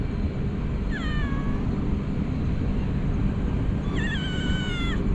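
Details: Stray cat rolling around and licking, giving two drawn-out meows about three seconds apart, each starting high then sliding down and holding level, over a steady low rumbling background noise.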